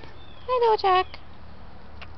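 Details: Goat kid among a small indoor group of white six-week-old Saanen/Alpine cross kids and a one-week-old Alpine buck kid: two short, clear, tonal bleats, the first falling slightly, the second briefer, with soft human speech and rustling around them.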